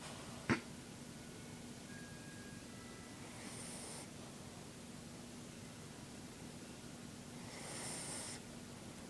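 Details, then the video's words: Vickie, a dog lying in her blanket, snoring: two soft, hissy breaths about four seconds apart, each lasting under a second, over a steady low indoor hum, with a sharp click near the start. "Vickie snoring"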